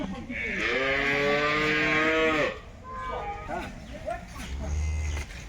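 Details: Jersey cattle at a wholesale cattle market: a long, loud moo of about two seconds with rich stacked harmonics, followed by quieter overlapping lows and calls from other animals amid market chatter.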